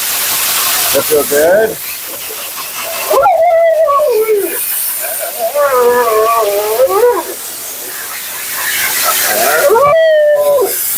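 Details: A Siberian Husky named Mila, being bathed and blown out at her second-ever groom, lets out scattered wavering whines and short moaning howls between gaps, against constant rushing noise.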